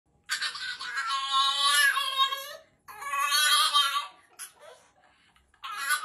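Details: French Bulldog pup throwing a tantrum during bath time indoors: long, loud wailing screams rich in harmonics, two drawn-out cries of about two seconds each separated by short pauses, with a fresh cry starting at the end.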